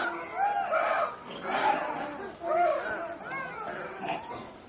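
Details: Zoo monkeys give excited, overlapping calls, a mix of rising and falling hoots and squeals, as the keeper approaches at lunch time.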